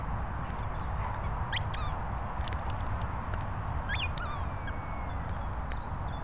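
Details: Patterdale Terrier Pip squeaking: a few sharp, high, falling squeaks, one pair near the middle and another later, over a steady low rumbling background.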